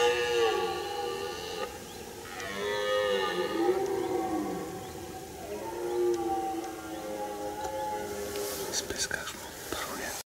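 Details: Red deer stag during the rut in Piaskowa Forest, Chojna forest district, Poland, a season of searching, sniffing, listening, roaring and fighting: long drawn-out moaning roars with rich stacked harmonics, sweeping up and down almost continuously.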